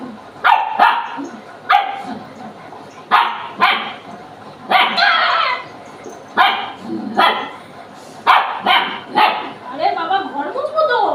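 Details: Pet dog in a family home, possibly German Shepherd or Labrador, barking in short sharp bursts roughly every second or two, with people talking in Bengali between barks.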